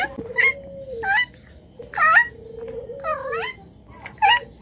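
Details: Cat meowing in a short series of high, bending mews, some rising then falling, spaced about a second apart over a low steady hum.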